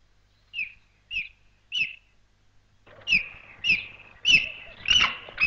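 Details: An excited cheetah in the African bush, crouching in tall grass near ostriches, gives high, bird-like chirps, about eight in a row roughly half a second apart, growing louder and more excited toward the end.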